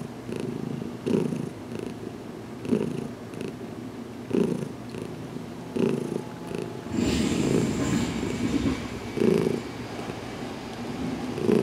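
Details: Domestic cat Heidi purring during her first head massage, June 6, 2019, indoors in a closet, still getting used to being touched after two weeks in her new home; rhythmic low purr pulses about every 1.6 seconds, then loud rubbing noise from seven seconds.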